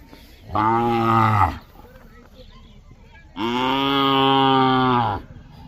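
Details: Two loud, sustained bellows from a bullock, each about a second and a half long. They are deep, even and strongly harmonic, with a quiet two-second gap between them.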